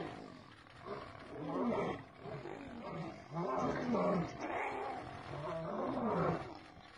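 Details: Male lion bitten by an attacking female: bursts of coarse, throaty snarling roughly every one to two seconds, each swelling and falling back, with loud harsh peaks in the middle.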